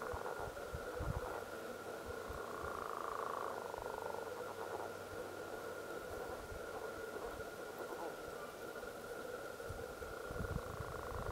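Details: Wood frogs give low, hoarse, duck-like clucks in a steady, overlapping chorus at Cranberry Flats on 14 May 2020.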